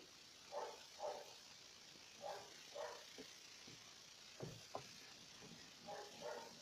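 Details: Four-week-old Alaskan Malamute puppies give short, paired yips and growls while play-fighting, over a steady background hiss.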